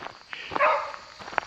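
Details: Hunting dogs going through the brush on a cool late-summer morning, September 2, 2024, at Killdeer Plains Wildlife Area, Ohio, during squirrel season, scaring birds away; a few sharp yelps and one drawn-out wavering howl at a distance.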